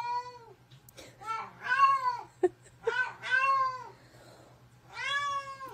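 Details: Talking house cat indoors answering with three rising-and-falling meows about a second apart, a sharp click between them and a steady low hum in the background.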